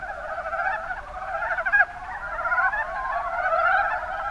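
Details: Mountain brown frog (Rana ornativentris) chorus from Kumamoto, Japan: clucking, pulsed croaks overlapping thickly, with a brief louder burst near the middle before the chorus builds again.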